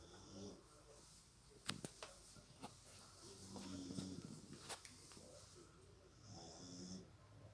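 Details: Beagle snoring indoors: soft wheezy breaths with faint low humming tones and a few sharp clicky snorts scattered through a quiet room.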